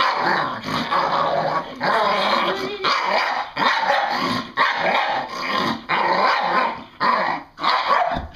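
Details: A female English Bull Terrier, excited and having fun, gives rough, growly barks in a steady run, about one each second; she has always sounded like this, not aggressive.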